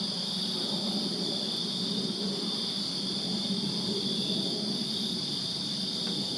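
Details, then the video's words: Crickets chirp through a summer night in a Virginia backyard, their thin continuous high-pitched trill running steadily above a soft, even low background hum. "Crickets Chirping Summer Night in Virginia"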